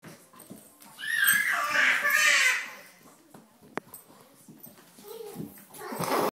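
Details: Pet dog indoors, said to act like a cat, giving a drawn-out, wavering high whine that rises and bends like a meow, followed by quieter murmurs, a sharp click and a rising noisy sound at the end.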